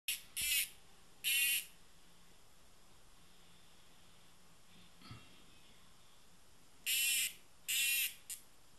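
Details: A tame cicada gives four short, harsh buzzing bursts, two near the start and two near the end, separated by a long quiet stretch with faint background hiss.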